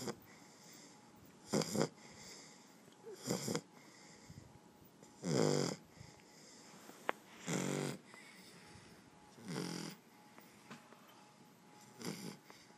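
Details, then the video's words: Sleeping Shar Pei snoring deeply: loud rasping snores roughly every two seconds, seven across the stretch, each a short harsh burst with soft breathing between, a brief murmur of a person at the end. "Shar pei snoring"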